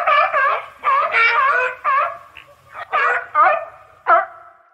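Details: Sea lion giving loud, hoarse barks in uneven bursts, some doubled, with short gaps between calls.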